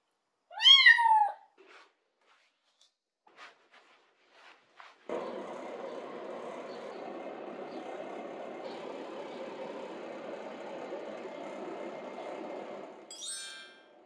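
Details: Rescued kitten Lara, abandoned and flea-covered, at her first home bath, gives a loud rising-falling meow, a few soft taps, then a long steady whooshing noise with a brief high cry at its end.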